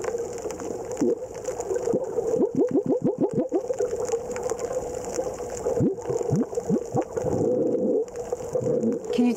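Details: Hawaiian monk seal underwater recording from its critical habitat in Hawaiʻi: quick runs of low, falling "whoop" calls over a steady underwater hum.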